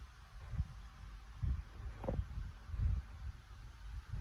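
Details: French Bulldog snoring in a quiet room: low, rumbling snorts and throaty breaths in uneven pulses, about one each second, with nothing else heard.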